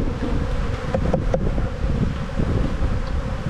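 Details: Many bees drone in a packed hive box during a spring inspection, with two boxes of emerging and new brood. A continuous low buzz with a few brief higher tones, and some wind rumble.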